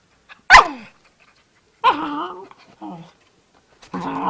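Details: Puppy making funny noises: a sharp loud yelp, then drawn-out wavering growly vocalizations with stacked harmonics, separated by short silences, ending in a rough sustained grumble.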